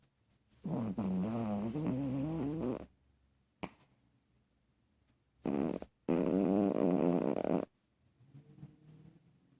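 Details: A Chihuahua named BJ snoring loudly, said to snore louder than a person; two long, rough, rattling snores of about two seconds and one and a half seconds with a short snort between, then quiet.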